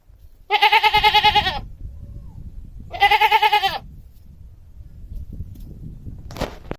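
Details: Domestic goat bleating twice, each call a shaky, pulsing bleat of about a second, separated by a short pause, with low background noise and a brief sharp click near the end.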